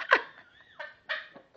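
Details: Siberian husky attacking his bed indoors, acting as if something is inside it: a sharp bark followed by short harmonic yelps and whines at about 0.8, 1.1 and 1.6 seconds, with a faint whistle-like tone between.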